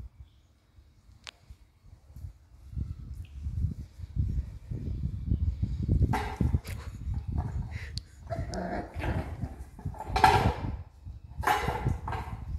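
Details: Tibetan Mastiff puppies fighting: low rumbling growls at first, then from about six seconds harsh, noisy bursts of yelps and barks come in uneven clusters, with some handling noise in the background.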